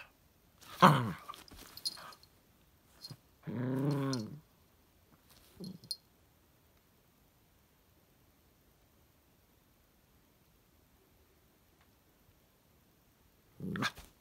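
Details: Squid, a chipin puppy (chihuahua x miniature pinscher) from a farm in Indiana, makes a sharp yip followed by a long wavering whining howl, a short grumble, then silence before one last brief yelp indoors.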